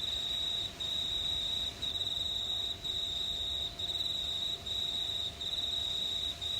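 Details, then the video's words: Summer-night crickets recorded under starry skies in a quiet New South Wales town, Australia, giving a bright, even, shrill trill that cuts out briefly about every second, around seven bursts in succession. "Pure Cricket Sounds at Night"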